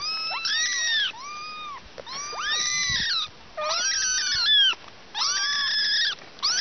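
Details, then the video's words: Kittens with their mother cat giving loud, long rising-and-falling meows in bursts about a second long, several voices overlapping, with short quiet gaps between bouts. "Funny Cats Three Funny Cats and Their Mother"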